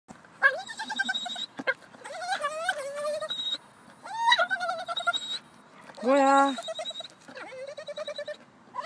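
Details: Staffordshire Bull Terrier named Goja, playing and making funny noises: wavering, whiny, yodel-like vocal bursts rising and falling in pitch, about six over nine seconds, with a loud sustained whine near the end.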